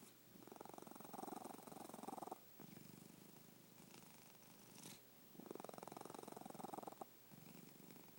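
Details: Sleeping cat snoring in steady cycles: buzzy, fluttering rattles about every two and a half seconds, each breath a burst of fast pulses separated by brief quieter pauses.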